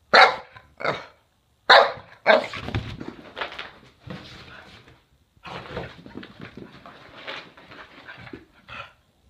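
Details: A male Boston Terrier doing zoomies gives sharp, quick barks to invite play, followed by scuffling and rustling.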